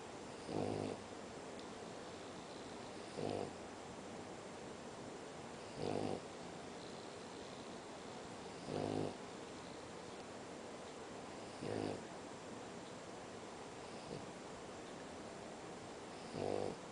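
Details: A French Bulldog, sleeping snug in its bed in an air-conditioned room, snores in harsh, buzzy, rasping bursts roughly every two to three seconds over a steady background hiss.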